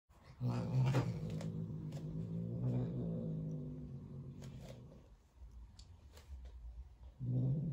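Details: An angry female Turkish Van cat hisses and growls at her roommate: a long, low, rumbling growl broken by brief hissing bursts.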